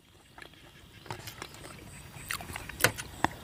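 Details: Scattered clattering and knocking handling noises over a low background murmur, with no animal voice.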